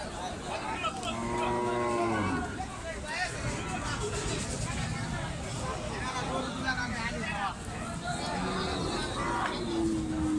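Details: Heifers at the new cattle market in Joypurhat, Bangladesh, on 27 November 2021: one low, drawn-out moo with rich harmonics early on, then a fainter short call near the end, over constant crowd chatter and market bustle.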